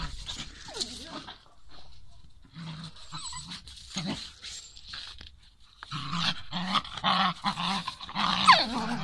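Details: Two pet dogs, Liza the Beagle and Till the Jagdterrier, together: several series of short, evenly spaced voiced yelps with clear harmonics, separated by quieter scuffling and a brief pause.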